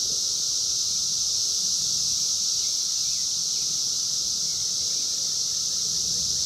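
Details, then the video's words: Wild 17-year periodical cicadas of Brood X, emerging in 2021 and recorded on a phone: a dense, unbroken, high-pitched hissing drone of many insects holds steady throughout, with faint low rumble beneath. "sounds of 17 Year Brood X Cicadas 2021 in the wild"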